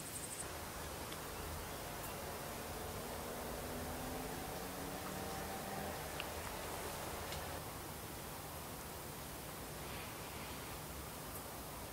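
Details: Only steady hissing wind or rustling noise with a faint low drone and no animal sound.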